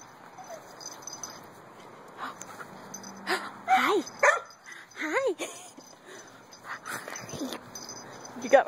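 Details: Dog during puppy play with zoomies and leg biting, giving a few rising-falling whiny yips and short bark-like bursts, mixed with a person's cheerful talking throughout.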